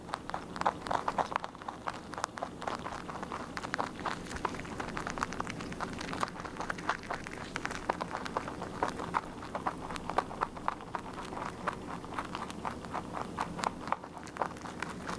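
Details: Continuous rabbit chewing while feeding: quick dry crunches tumbling one after another without pause, uneven in strength, with soft low background noise.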